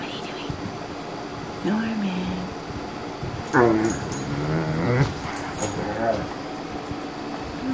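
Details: Great Dane foster dog, male, resting and coaxed into talking, gives a few low moaning, grumbling vocal sweeps that rise and fall, the longest near the middle, against a steady indoor hum.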